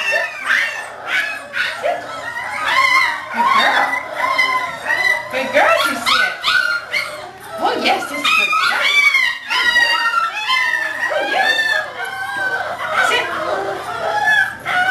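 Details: Six-week-old English Springer Spaniel puppy during obedience training, filmed in December: repeated high, curving whines and short yips throughout, overlapping a person's voice talking steadily.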